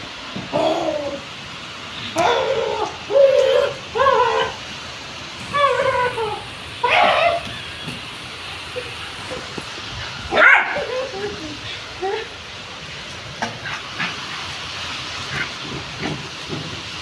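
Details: Brown Labrador Retriever named Jerry on a rainy day, giving a string of short, rising yips and whining cries in the first half, then sparse fainter whimpers, with a few sharp clicks and bumps nearby.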